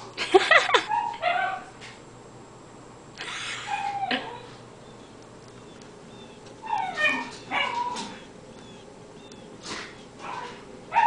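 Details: Brompton, a cairn terrier, goes wild watching a squirrel play in about eight inches of snow. He lets out sharp, high yips and whining barks in short bursts, with quiet gaps between them and faint thin bird chirps in the background.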